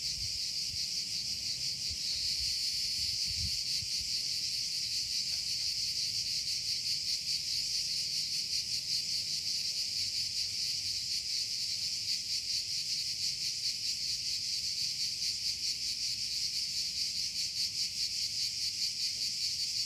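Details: Continuous shrill cicada buzz, swelling slightly after the first two seconds and then holding steady with a quick, somewhat uneven pulse; a brief low thump near the start.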